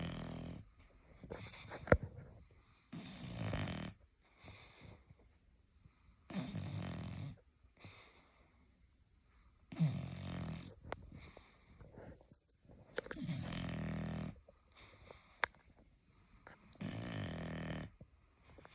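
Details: Puppy asleep on a person's shoulder and arm, snoring in a steady series of raspy, wheezy breaths, each lasting about a second and coming every two to three seconds, with occasional small clicks and rustles between them.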